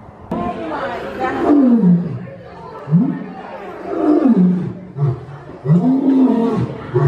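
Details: Roaring lion, whose call marks territory and keeps contact with the pride: three long, deep moaning roars, each rising then falling in pitch with a rough, throaty tone, separated by brief pauses.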